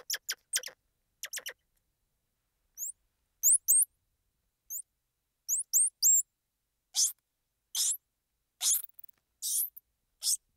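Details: A series of squirrel monkey calls: fast clicky ticks first, then thin hooked chirps, giving way to harsher, broader squeaks spaced about a second apart. No background noise.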